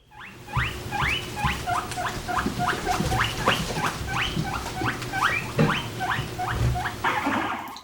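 A guinea pig squeals in a fast run of loud, high, rising whistles.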